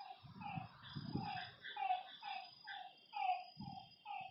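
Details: Lakeside frogs at night give short, reedy harmonic notes in an uneven overlapping series, while soft low thuds sound now and then in the background.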